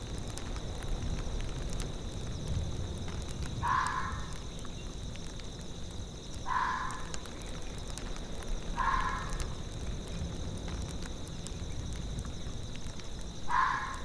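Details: In a tundra soundscape, a fox gives four short, hoarse barks, spaced two to five seconds apart, over a low rumble of wind and a faint steady high hum.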